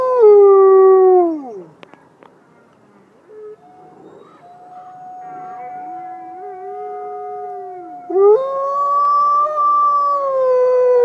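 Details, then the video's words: A wolf howls: a loud, clear tone sliding downward and fading, a quieter sustained note from a second voice, then a dip and a strong new howl rising and holding steady. "Awesome Wolf Howling Compilation"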